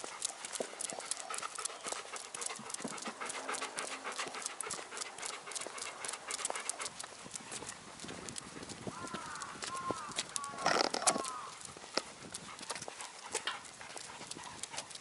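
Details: Golden Retriever puppy, 285 days old and the offspring of Chiro, out on a lead walk in Ain village on 4 February 2019, panting rapidly at about three to four breaths a second over clicking footsteps, with brief rising-falling tones near the end.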